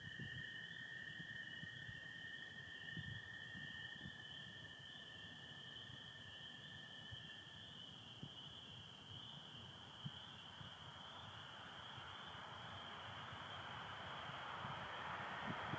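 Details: Spring peepers calling in Michigan on an April 2025 night under stars with some overcast: a steady high-pitched chorus runs throughout, while a lower continuous trill of American toads fades out midway.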